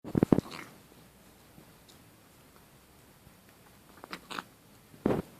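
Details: Sammy, a kitten in water, makes short, rough piggy snorts: a quick cluster of three nasal bursts at the start, scattered soft snuffles in the middle, then another strong snort near the end in a small, quiet room.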